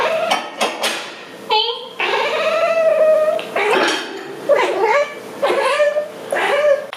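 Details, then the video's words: Domestic cat talking to its owner while the dishwasher is being emptied indoors, a run of drawn-out harmonic meows, some rising then falling, about six calls over seven seconds with short pauses between. "Cute cat talking to its owner"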